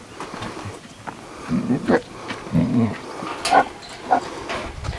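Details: Lions Chuck and Norris, ambassadors against canned hunting, at feeding time at the Daniell Cheetah Project in South Africa, eager for the beef. Short, low rumbling growls come in bursts, with a sharper snarl later, over speech and clattering.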